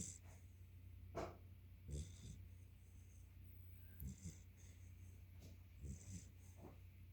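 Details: Sleeping yellow Labrador Retriever puppy giving soft, low snuffling snores and breathy snorts at uneven intervals, a few sharper exhalations standing out against a constant low hum.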